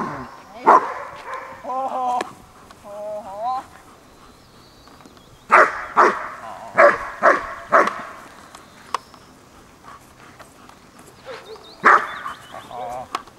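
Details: German Shepherd Horna at sleeve training, first bite of the sleeve; human voices mix with bursts of loud, gruff barking, a quick cluster of five or six barks mid-recording and another near the end.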